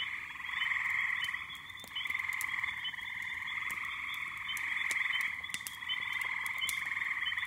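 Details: Backyard pond in May, crowded with little peepers and frogs, calling together as a continuous high, buzzing, pulsing chorus that swells and dips slightly, punctuated by occasional sharp ticks.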